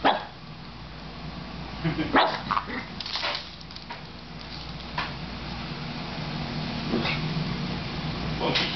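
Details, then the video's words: Puppy Odysseus (Odie) playing with Penelope, another dog who dominates him, fighting back with squeaky barks: short sharp yips scattered every one to two seconds among scuffling noises, with a person talking softly in the room. "odie puppy bark"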